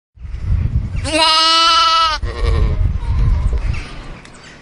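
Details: Lamb calling its mother: a single loud, drawn-out bleat of about one second, rich in harmonics with a slight waver, set between stretches of low rumbling background noise.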